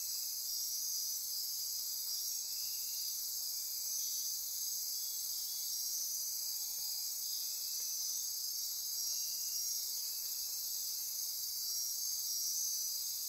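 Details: Midnight chorus of insects in Costa Rica's Osa Peninsula rainforest near Corcovado National Park: constant shrill buzzing and trilling layered in high bands, with gentle pulsing rhythm and no pauses across the recording.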